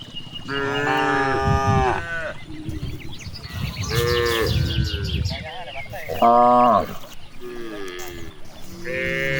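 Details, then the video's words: Cows grazing freely in a large green rice field in the countryside, mooing in several long harmonic calls, some rising then falling, with overlapping lows from the herd and faint bird chirps in the background. "The excitement of cows grazing in a large rice field, the sound of cows"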